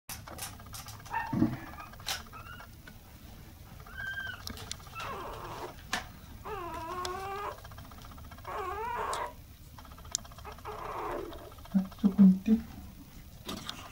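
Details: Apricot female Toy Poodle puppy born on 28 November, indoors, giving a string of wavering, harmonic whines and short squeals that rise and fall, with quiet gaps and a low room hum beneath.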